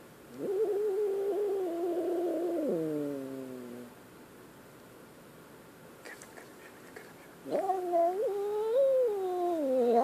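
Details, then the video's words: Scared kitten crying twice: a long, steady wail of about three seconds that trails downward, then after a quiet gap with a few clicks, a second rising, wavering yowl that continues to the end. "Scared kitten"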